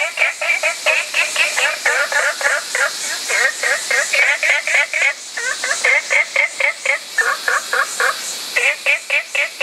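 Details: Fast, rhythmic series of short, harmonic, nasal notes from an olive frog, about four each second, with brief pauses between bursts and a continuous high hiss behind.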